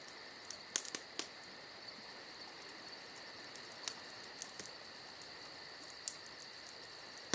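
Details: Summer night cricket chorus, a continuous high-pitched chirring with pulsed trills above, mixed with frequent wood crackles and snaps from a nearby campfire.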